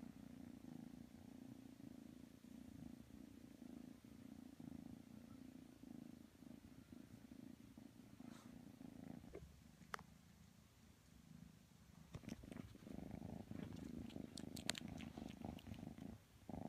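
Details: Kitten Matsumoto purring while snuggling with Tanka the pit bull, a low steady rumbling purr with soft rhythmic pulses, briefly fading near the middle before returning stronger, with a few small clicks and rustles.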